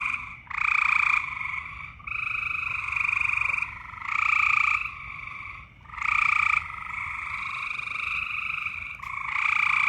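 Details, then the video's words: Frogs calling during mating season: loud, buzzy pulsed trills lasting one to two seconds, repeated with short gaps and overlapping one another, with two strong bright tonal bands. "More loud frog noises."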